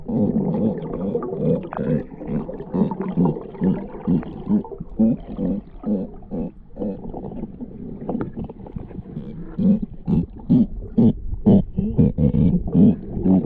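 A Galapagos sea lion gives deep, gravelly barks and groans in a rough, uneven rhythm.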